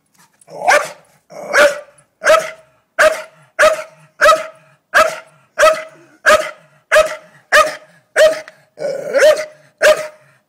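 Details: Staffordshire Bull Terrier named Doza barking after finding a blue-tongued lizard, an uninvited guest; loud, sharp barks fired in a steady series of about sixteen, roughly one every 0.6 seconds, with no other clear sounds.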